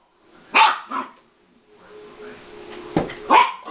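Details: A Siberian Husky puppy playing with a man gives a few short, sharp yapping barks.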